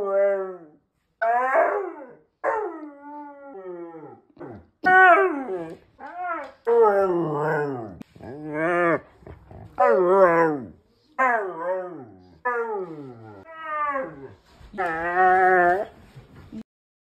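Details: Indoor Siberian Husky scolding its owner for frightening away his pig friend, producing a string of short, wavering, yodel-like howls and grumbles, about a dozen phrases with brief silences between them.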